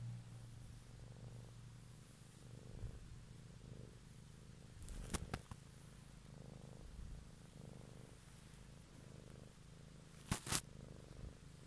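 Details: Cat purring one evening, captured close for ASMR relaxation: a steady low rumble rising and falling with each breath about every second, interrupted by two brief sharp clicks or rustles midway and near the end.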